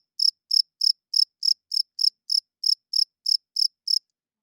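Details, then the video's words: Cricket at night making thirteen clear, shrill chirps in about four seconds. Each is a short burst of rapid pulses, evenly spaced, with silence between them. "Cricket Chirping Sounds - Cricket klinkt 's nachts luid"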